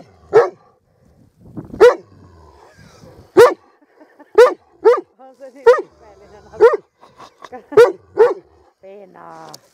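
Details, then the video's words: A dog gives a series of sharp barks about one per second with short gaps, mixed with a man talking in Finnish close by. "KOIRA HAUKKUU"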